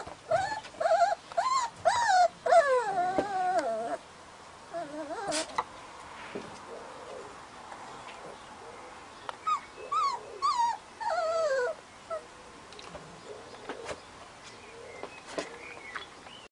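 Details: Husky puppies whimpering and yipping in rapid bursts, high wavering whines rising and falling, clustered in the first four seconds then again around ten to twelve seconds, with quieter gaps between.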